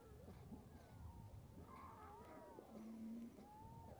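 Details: A newborn yellow-coat harp seal pup gives wavering, mewing cries while begging its mother for milk, a little clumsy at nursing.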